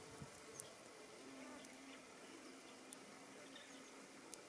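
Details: European hornet (Vespa crabro) gives a steady, low humming buzz with a few faint ticks while processing a captured honey bee worker before carrying it to the nest, among giant goldenrod at Vestmarka, Eidskog, Norway, 21 August 2021.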